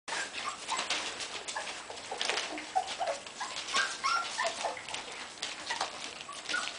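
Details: Puppies 27 days old whimpering and squeaking in short, thin, high-pitched cries, overlapping and irregular, with scuffling and rustling throughout.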